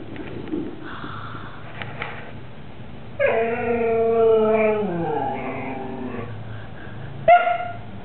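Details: Siberian Husky vocalising as Hugo watches Mau Mau enjoy a lamb bone and begs him to share, recorded 18 September 2007; a drawn-out harmonic howl-whine slides downward over about three seconds, with brief squeaks before and a sharp yip near the end.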